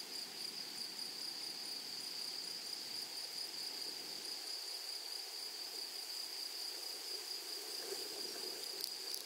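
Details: Grasshoppers in a flowery prairie meadow keep up an unbroken shrill, high ringing drone, set against steady soft rushing background noise, with a brief faint rustle near the end.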